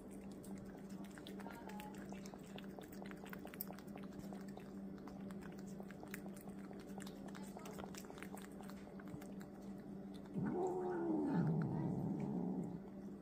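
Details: An angry house cat lets out one drawn-out meow near the end that rises and then falls in pitch, after a stretch of quiet ticking, with a constant low hum underneath.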